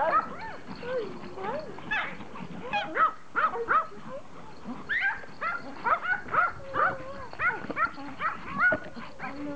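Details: Pomeranian toy dogs happy to see their owner after a vacation: a stream of shrill, excited yips and wavering whines, short bursts repeating roughly every half second, over soft background chatter.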